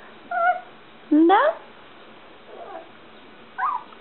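A small Yorkshire Terrier makes brief, thin whimpering calls, the loudest a quick rising whine. Softer yips follow after pauses, and a faint human voice can be heard indoors.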